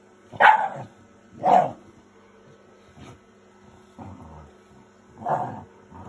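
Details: Fuku the Shiba Inu, a pet dog, lets out a few spaced, husky barks and grumbles roughly a second apart, two strong ones early and softer ones after, against a quiet room with a low steady hum.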